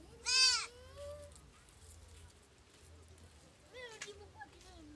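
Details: Young goat in Kampala, Uganda, calling for its mother to be fed or when alone: one loud, wavering high bleat, then a softer bleat about three seconds later, over faint background noise.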